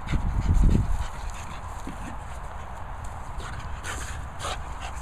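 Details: French Bulldog named Reggie doing his thing: a loud burst of low, rough snorting grunts in the first second, followed by quieter snuffling and faint scraping sounds.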